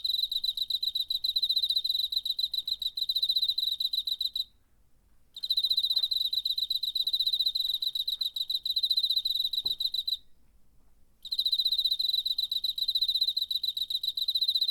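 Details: Cricket recorded in September 2019 with a DR-05 recorder: steady high, pulsed chirping in three long bouts of rapid evenly spaced pulses, broken by brief pauses of about a second. Quiet background.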